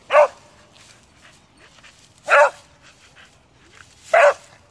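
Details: A dog leaping about in the bushes gives three loud, evenly spaced barks, each about two seconds apart, with faint rustling between them.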